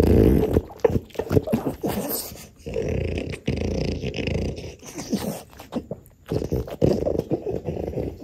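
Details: French bulldog from a family of French bulldogs (mother and offspring) eating roasted sweet potato: throaty, rough grunts and snorty growls in uneven bursts of about half a second, broken by short pauses, loud and close.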